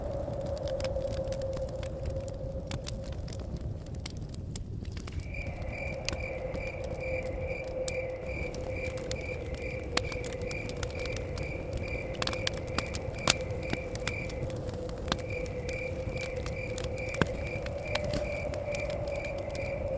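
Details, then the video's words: Forest cabin setting with crickets giving fast, evenly pulsed high trills that run for long stretches with brief breaks, heard over a crackling fire with sharp pops, a steady mid-pitched tone and low wind rumble. "Fire Crackles With Blowing Wind And Chirping Crickets"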